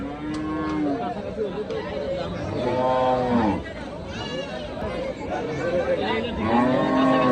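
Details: Cattle for sale at Syedpur New Market, Debidwar, Comilla. Three separate moos rise and fall: one short, one mid-clip and one closing. Market chatter and people talking run throughout.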